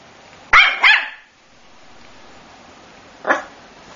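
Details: Male Coton de Tulear puppy letting out a quick double bark followed by a single softer bark roughly three seconds later, in a quiet indoor setting.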